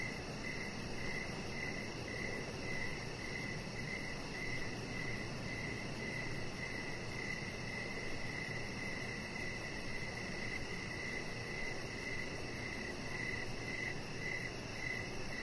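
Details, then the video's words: Crickets in the evening outside a house deck, a chihuahua puppy lying there; continuous series of rapid pulsed chirps, evenly spaced, over steady low-frequency background rumble and a faint high hiss. "3 Hours Of Chihuahua Puppy Laying On Deck with Cricket Sounds"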